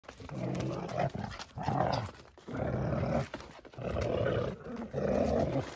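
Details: Dagmar, a chug dog, playing with a pup: low, rumbling growls in roughly one-second bursts, about five across the stretch, separated by short quiet gaps, with no other clear sounds.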